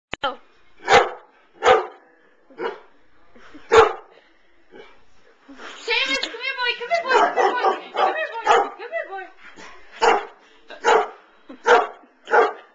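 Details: Seamus, a pet dog, barks at a stuffed giraffe toy. Sharp barks come about once a second, then a denser stretch of mixed barks and voiced sounds, then steady barking resumes.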